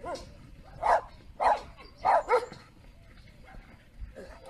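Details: Big Komondor sheepdog giving four loud barks in quick succession, the last two almost doubled, amid a low background murmur and a soft whine near the end.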